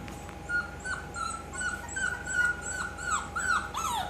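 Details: Bulldog hybrid puppies indoors give a rapid run of high whines and yelps, many sliding downward in pitch, overlapping at roughly two to three per second. A steady electrical hum runs underneath.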